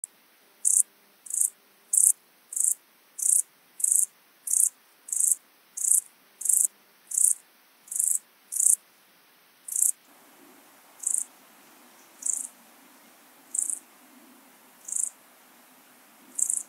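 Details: Siberian straw grasshopper, Euchorthippus pulvinatus, in Fülöphaza, Hungary, on 17 July 2022: short buzzy high-pitched chirps repeated steadily about every two-thirds of a second, the spacing widening later, over a quiet background.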